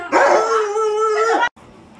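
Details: Luoluo, a pet Alaskan Malamute, gives one sustained, steady-pitched howl lasting just over a second with rich harmonics, then cuts off abruptly into quiet room sound.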